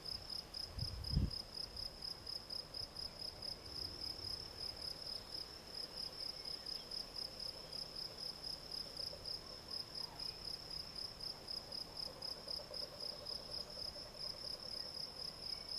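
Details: Field cricket, Gryllus campestris, singing a steady stream of short chirps repeated several times per second, a bright high tone with a faint overtone, over low rumbling background noise and a brief thump near the start.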